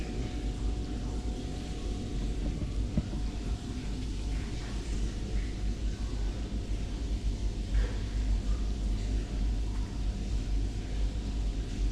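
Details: Steady low rumbling like a passing vehicle or distant engine, with no animal voice.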